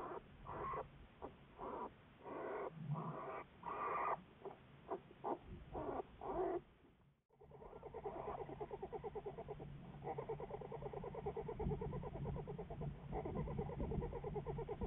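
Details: Juliet, an American black bear studied by the Wildlife Research Institute, recorded February 10, 2014: a stretch of irregular harmonic bursts, a brief silence, then a long run of rapid, steady, buzzy pulses.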